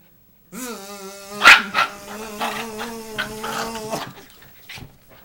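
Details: Schipperke dog reacting indoors to a buzzing "monster", sharp barks and growly bursts breaking over a steady, droning buzz held for several seconds, then quiet.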